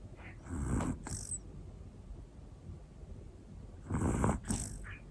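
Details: Hana, a one-year-old black female Pomeranian, snoring softly while asleep: two low breathy snores, each with a short hiss of air, separated by quiet breathing in a calm indoor setting.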